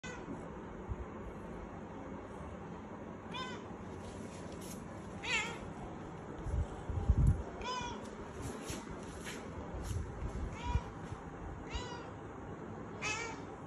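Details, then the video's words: Kittens crying to go outside: repeated short wavering meows every one to two seconds over steady low rumbling background noise, with occasional thumps. "Funny kittens crying for gonig outside"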